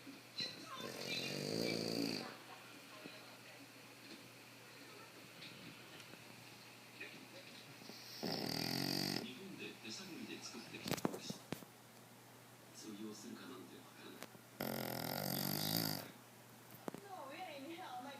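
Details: Sleeping Boston Terrier, a flat-faced breed, snoring loudly indoors: three long rasping snores roughly every six to seven seconds, with quieter breathing and faint background sounds in between.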